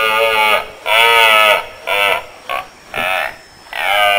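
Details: Red deer stag roaring during the rut in Switzerland, a series of harmonic-rich bellowing bursts, some long and some short, separated by brief pauses.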